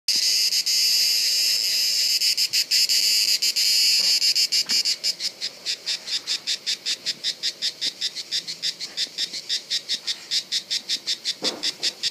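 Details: A cicada recorded during reproduction at Bollène, France, on 7 July 2015 makes a shrill buzz that runs steadily, then breaks into rapid rasping pulses, several each second.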